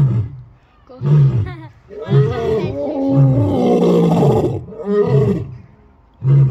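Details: Lions roaring: deep, rumbling roars and grunts in uneven bursts about a second apart, with a longer swelling roar in the middle and a final low grunt at the end.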